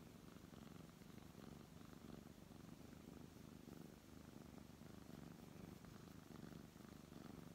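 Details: Continuous deep purring from a brown tabby house cat as it is stroked, a low vibrating drone that swells gently in loudness every second or so, with soft handling noises.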